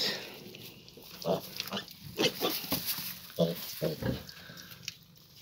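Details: A 14-day-old piglet makes short, scattered grunts and brief squeaky bursts, about six or seven separate sounds spread over a few seconds, against a steady background hiss.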